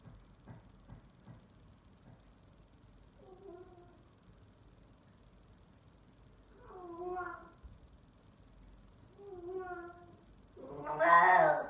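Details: F4 silver Savannah cat, a male, calling indoors in a way likened to a lion: after a few quiet seconds, soft harmonic moaning calls come at intervals, building to one loud, rough, rising call at the end.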